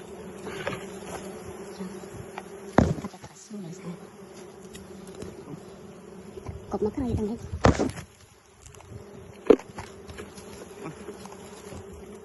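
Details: Wild bees buzzing during wild honey harvesting: a steady, low droning hum with a higher overtone runs throughout, broken by a few sharp knocks and bursts of handling noise, with a man's voice speaking briefly.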